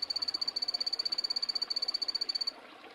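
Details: Epipedobates anthonyi poison dart frog producing a high, rapid pulsed trill, roughly twelve beats a second, for two and a half seconds before cutting off into quiet hiss.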